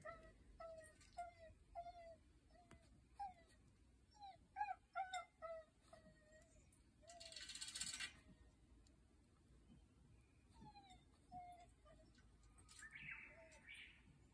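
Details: A dog's voice frightens a wild Japanese badger, which hides in a roadside ditch. Short, tonal, yelping barks come singly and in quick clusters across the recording. A brief hissing burst of noise sounds near the middle.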